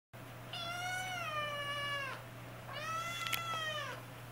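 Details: Young kitten siblings indoors, frightened and unable to climb down from a cat tower, give two long drawn-out harmonic meows, the first about one and a half seconds, the second slightly higher and rising, over a steady low hum.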